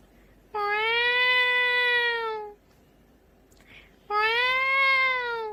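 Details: A cat gives two long, drawn-out meows, each about two seconds long and steady in pitch with a slight rise and fall, separated by a quiet pause with a faint rustle.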